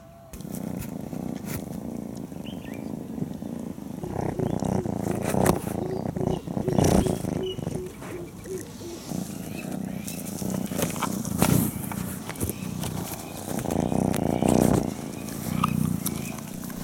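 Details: African wildcat kittens about four months old, kept caged at a wildlife facility, purr in a low, rapid, motor-like rumble under a man's voice.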